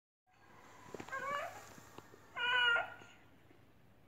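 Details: A domestic cat, described as appearing sick, makes strange noises indoors: two harmonic meows, the first wavering and rising around one second, the second louder and more strained near two and a half seconds, with faint background rustling.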